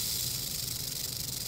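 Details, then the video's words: Rattlesnake, one of a pair found in the Everglades after kayaking, filmed on a phone; a steady, unbroken high buzzing rattle runs through the whole clip without pause. "Serpiente Cascabel rattlesnake"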